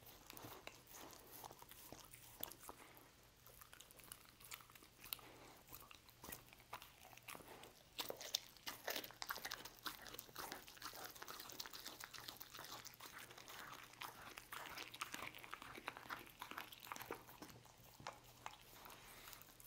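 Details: Pet dog Lucy chews roast beef in a small indoor room, producing a steady stream of crunchy, smacking bites and crackles, dense and irregular throughout, with brief louder crunches midway.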